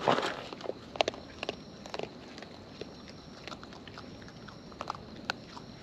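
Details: Wild raccoons eating up close, their natural chewing heard as sharp, irregular clicks and crunches with a few louder snaps near the start, set against a quiet outdoor hiss.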